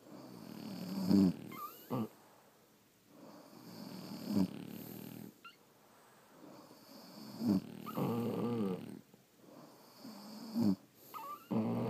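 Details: Sleeping French Bulldogs snore in rough breaths roughly every three seconds, alternating louder snorts with softer exhales and brief squeaky whistles, over a low steady room hum.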